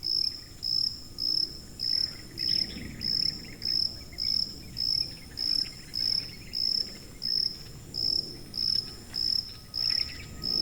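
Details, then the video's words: Steady high cricket chirps for tinnitus masking come in regular short bursts, roughly a hundred per minute, with a faint steady tone and soft low background noise underneath. "고주파_귀뚜라미3 / High-Frequency_Cricket3"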